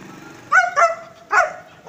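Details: Long-coat German Shepherd dog barking: three short, loud, harmonic barks in under two seconds, the first two close together and the third after a brief pause, with a faint steady tone underneath.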